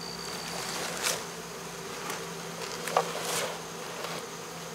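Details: Honey bee swarm settling into a box after removal from local baseball fields, 2014. A constant buzz runs beneath several brief rushing knocks and scrapes, with a low steady tone throughout.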